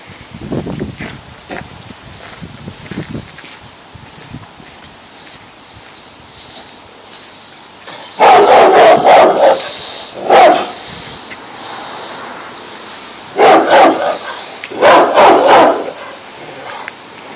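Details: A Rottweiler in a garden lets out deep, forceful barks in short bursts at visitors.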